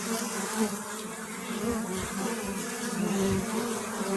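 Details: A close, loud honey bee hum. The pitch shifts gently as bees fly near, over a steady wash of buzzing from many insects, with few interruptions.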